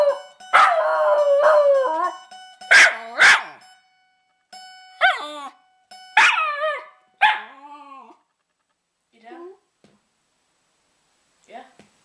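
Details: Pet dog howling along to a guitar on a lazy Sunday at home; wavering, harmonic howls and yelping cries come in loud bursts over the first four seconds, then shorter, softer calls separated by pauses, with faint guitar tones.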